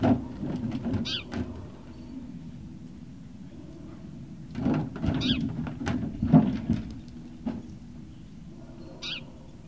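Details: Great Dane puppies at Puppy Hill, 18 November 2018, early afternoon: three short high whimpering squeals with ringing overtones, spaced a few seconds apart, over a steady low rumble, soft thumps and shuffling.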